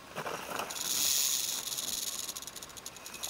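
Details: Western diamondback rattlesnake in the Santa Rita Mountains, Arizona, recorded on a Panasonic Lumix LX5: a dry, hissing buzz that swells and fades, breaking into a fast, uneven rattling toward the end.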